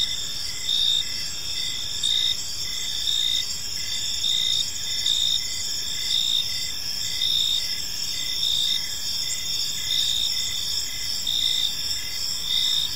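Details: Several crickets keep up a shrill, continuous chorus of rapid pulsing chirps in a park in the evening, with a faint low rumble of background noise beneath the high trilling.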